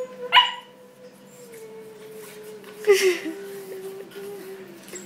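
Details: A three-month-old Pembroke Welsh Corgi puppy gives two short, sharp barks a few seconds apart.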